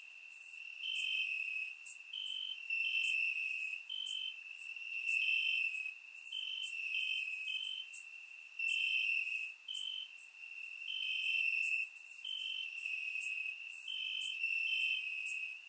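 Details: Crickets in grass on a warm summer night, Bulgaria, surround microphone: a dense chorus of high trilled chirps from several insects, alternating bursts about once a second, with occasional fainter higher-pitched buzzing.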